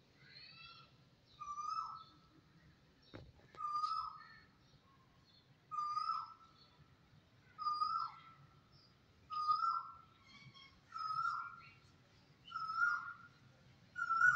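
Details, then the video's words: Kittens with their mother, a rescued cat family, meowing steadily: seven similar drawn-out meows with a dipping tail, roughly every one and a half to two seconds, high faint squeaks between, one sharp knock early on. "Meowing Minutes of Fun"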